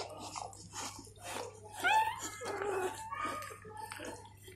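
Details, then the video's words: Golden Retriever newborns being licked clean by their mother, giving thin squeaky whimpers with rising, wavering tones amid soft rustling and licking noises in a small indoor space. "Mother Golden Retriever Cleaning Newborn Puppies"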